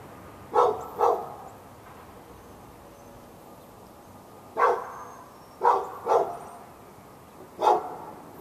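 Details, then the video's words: A pet dog behind a fence in Raleigh, North Carolina, barking at the dog next door on February 15, 2012, part of non-stop barking lasting all morning into the afternoon; two quick barks, a long pause, then four more spaced barks. "Barking Insanity!"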